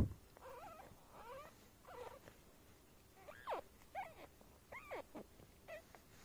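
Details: Newborn female black silver Abyssinian kitten just after birth: faint, thin, high mews, about eight short squeaky cries that bend up and down, spaced unevenly over quiet background noise.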